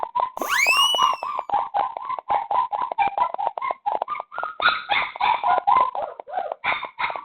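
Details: Puppy, a stray found late at night and sheltered indoors in Dauin, Philippines, whining in a fast train of short nasal cries, opening with a sharp upward-sweeping squeal, then steady pulsed whimpers that rise slightly higher toward the end.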